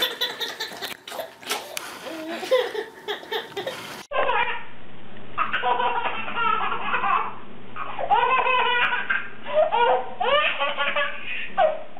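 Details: Babies laughing hysterically in a small indoor room, bursts of giggles and belly laughs mixed with adult speech, with no animal voice heard.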